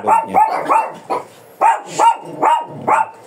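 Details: Fierce Shih Tzu in Pangasinan, angry while being groomed for a haircut, barking sharply. About seven quick yapping barks come in uneven bursts with short pauses, with no other sounds clearly present.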